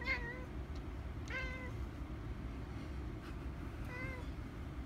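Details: Domestic cat trying to battle a mantis, giving three short meows spaced over about four seconds, each a brief rising-falling mew, over a steady low background rumble.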